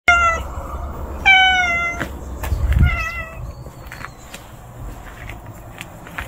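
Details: Hungry stray kitten outdoors, crying with loud, clear meows, three calls in the first few seconds, each a steady tonal wail with falling end, followed by quieter rustling and faint background noise.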